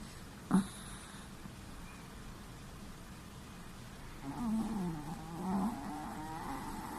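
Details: Chihuahua asleep, a sharp click early on, then a long gravelly snore that wavers in pitch, growing louder and fading over about two seconds in a quiet room.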